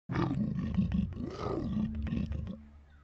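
An aardvark's stomach growl, played slowed, gives a low, gurgling rumble with a rough, roar-like texture. It swells and churns for about two and a half seconds before fading out.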